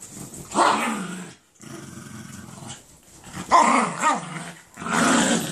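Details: Jack Russell Terrier savaging a Doberman on its bed indoors; rough rising-and-falling growls and snarls in three loud bursts with lower rumbling between them.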